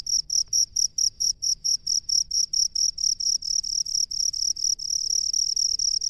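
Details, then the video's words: Rice-field crickets calling: a clean run of sharp, high chirps repeated roughly twice a second in an even pulse, bright and ringing, over a quiet low background hum. "SUARA JANGKRIK PENGHUNI SAWAH"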